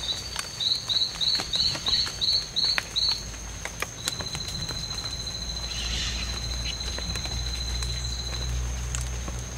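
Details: Two male strawberry poison-dart frogs fighting in the C.R.A.R.C. reserve on September 10, 2012, during daytime: about eight short buzzy high chirps, roughly three per second, then a long steady high-pitched trill, over constant clicking patter.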